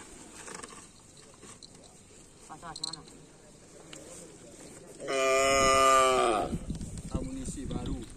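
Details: Racing bulls of a karapan sapi bull race team during training on the Asemanis field give one loud, drawn-out harmonic moo of about a second and a half, with a level pitch that drops at the end, after faint voices and rustling.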